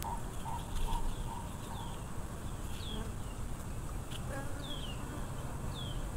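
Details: Swarm of wild Africanized honey bees droning in a low, continuous hum, with short bird notes early on and several high, downward-slurred chirps from other birds scattered over the buzz.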